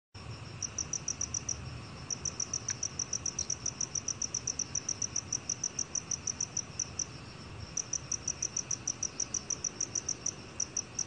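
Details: Black cricket calling: a steady train of short, high, ringing chirps, several per second, with a brief pause near eight seconds before the pulses resume. Faint low background hum.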